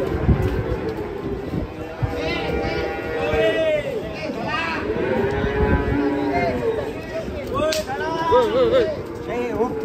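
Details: Large cattle being unloaded from a truck, agitated; several low harmonic moos rise and fall through the stretch, overlapping with men's shouting voices and outdoor bustle.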